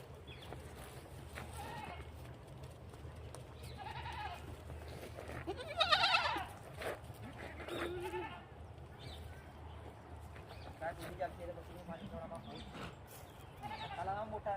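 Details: Beetal goats with kids at a goat farm in Koldam: repeated wavering, nasal bleats from several animals, some loud and drawn out, others short, over a steady low hum and faint background noise.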